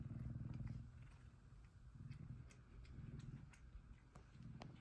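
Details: Cuddling male F2 Savannah cats, one purring happily: a quieter low rumble that swells and fades, with faint soft clicks and rustling on top.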